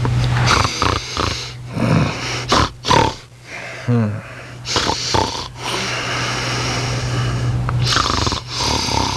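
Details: A Rat Terrier snores loudly with harsh, raspy breaths that sound like a person, some with snorty whistling edges, rising and falling in uneven bursts over a low constant hum.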